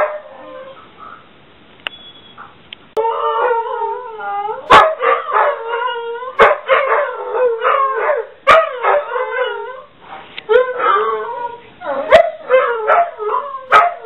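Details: After a quiet start with a faint tone, two house dogs, one called Ulla, break into a crooning howl chorus prompted by the ringing home office phone, layered wavering howls punctuated by sharp barks.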